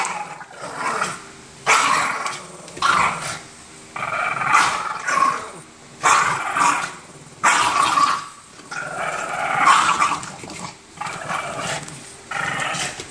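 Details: Boston Terriers tussling over an orange toy: repeated harsh, snarling growls in bursts roughly every one to two seconds, rising and falling in loudness throughout.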